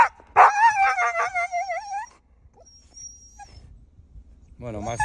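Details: Husky named Max, shut in a car on a mountain route, yelps and whines at a deer he spotted, wanting out to chase it; a sharp yelp burst then a long wavering whine, followed by quiet and a brief voice.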